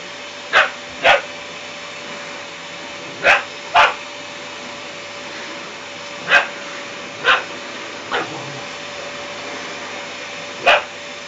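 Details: An 11-week-old puppy barks at a running vacuum cleaner, giving about eight short, sharp yaps, singly and in quick pairs, over the machine's steady droning hum.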